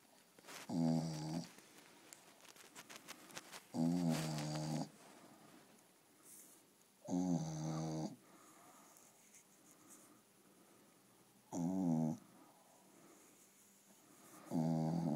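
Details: A sleeping female Staffordshire Bull Terrier snores deeply indoors, each rumbling, buzzy snore lasting under a second and recurring roughly every three to four seconds, with quiet breathing between.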